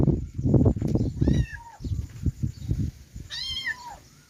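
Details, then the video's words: Kittens give two drawn-out, high-pitched meows, each bending downward at the end, separated by about two seconds of low knocking and rustling sounds. "kittens meowing"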